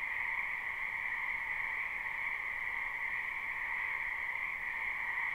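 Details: Many frogs calling in a spring wetland behind a house, live unlooped recording: a dense, unbroken chorus of overlapping croaks forms a steady two-toned drone, with no single caller standing out and no other sounds.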